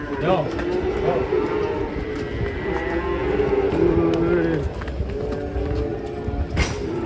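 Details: Cattle give a long, steady, low moo lasting more than a second, with shorter lowing before it, over background chatter and a busy outdoor rumble.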